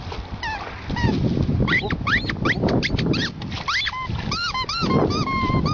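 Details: Cocker spaniel Emo on a first encounter with the sea gives sharp rising yelps, then drawn-out arched whining tones, over wave noise and excited Greek voices praising the dog.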